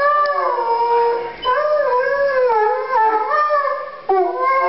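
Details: Ten-month-old Chesapeake Bay Retriever dog howling around Christmas: continuous wavering howl, pitch rising and falling in smooth arcs, with brief dips between phrases and a fresh onset near the end.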